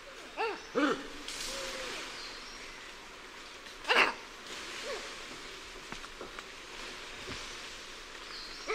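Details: Lion-tailed and bonnet macaques giving alarm calls, heard from varying perspectives: a few short sharp barking calls with falling pitch, one loud harsh bark near the middle, then softer scattered calls over a steady background hiss.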